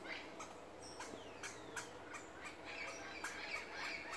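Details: Barking squirrel defending its tree from an intruding person; short, harsh, broadband chucks come several times a second in an irregular string, with faint hiss behind.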